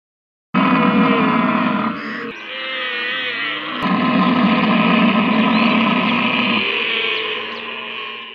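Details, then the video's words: A camel roars in a long, harsh, gurgling groan that starts abruptly and rumbles on for nearly eight seconds, with a brief break partway through before the rough bellow resumes. "Funny Camel Sounds Compilation"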